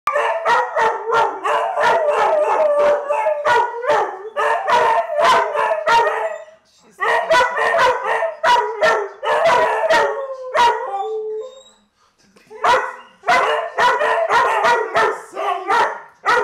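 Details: Dogs howling: a sustained wavering tonal voice mixed with a rapid series of sharp yips and barks in bursts of several seconds, with brief pauses between bouts.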